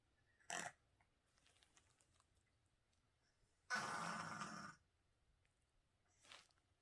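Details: Living with cancer, elderly feral cat Crumbs makes a quick gasp, then after a pause a full-second rough, snorting breath, ending with a softer wheezy exhale.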